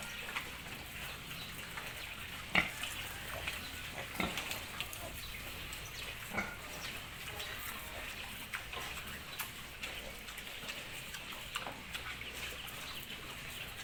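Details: Piglets on a pig farm in Italy: a steady, dense hubbub of many small animals with scattered sharp clicks and squeaks breaking out every second or two, over a hissing, water-like background.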